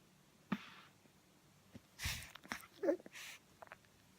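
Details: Boycie, a pug puppy asleep and dreaming of suckling, gives breathy snorting snores in short bursts, with a tiny squeaky whimper between them and a soft click beforehand, in a quiet room.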